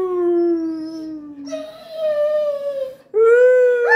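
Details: Dobermann Pinschers howling after being set off by an air horn sound effect. Three long, clear, drawn-out howls are heard: the first slides slowly downward, the second holds steady and then sinks, and the third rises and brightens at its end.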